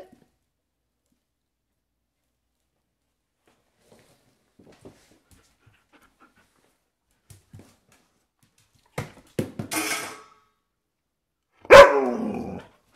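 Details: Maple, a German Shepherd Husky mix, wears a reusable diaper indoors while in heat. After long near-silence come breathy huffs and snorts, then one short, loud, harmonic grumbling vocalization near the end, set against a quiet small room.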